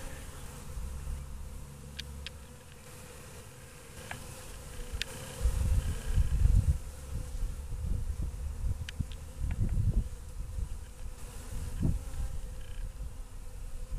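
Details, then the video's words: Western honey bees waking up after a long winter: a steady low droning hum from the hive, swelling into louder buzzing bursts midway and again later, with a few faint high clicks over the top. "My Honey Bees waking up after a long winter"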